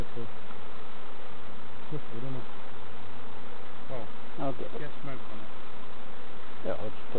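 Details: Honey bees buzzing during a hive inspection by novice beekeepers at Summerwood Lane Allotments and Community Garden; a steady, dense hum runs throughout, broken by bursts of people talking close by.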